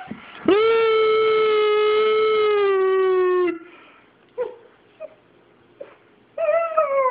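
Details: A roughly three-month-old male German Shepherd puppy, unsure what is happening while his owner howls at him, gives a long, steady, tonal howl, then short yips and another rising howl.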